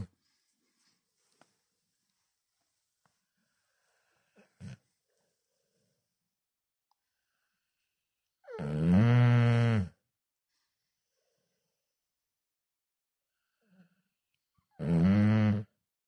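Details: Cane Corso named Dodo snoring: two long, deep, rasping snores with a throaty, droning tone, about six seconds apart, separated by near silence broken only by a few faint clicks and rustles.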